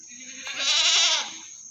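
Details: A single drawn-out, shaky bleat from a meat goat at the animal market in Singosari, Malang, rising to full strength and fading after about a second over a constant high whine.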